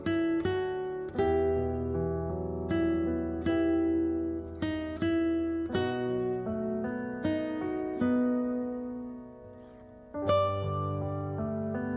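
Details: Acoustic guitar plucked and strummed in a slow, steady melody with ringing notes, and no animal sound heard.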